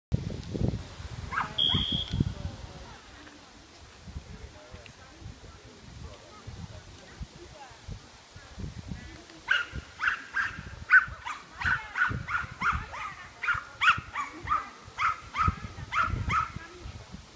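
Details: Welsh Terrier named Bertha barking during a class III agility course at Rauma, 22 July 2018, ending in disqualification; after a quieter stretch with crowd noise and thuds, a rapid run of sharp barks repeats about twice per second.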